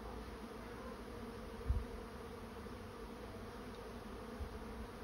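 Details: Honey bee swarm moving into a swarm trap, giving a steady, low, even hum with layered droning tones and a brief thump partway through.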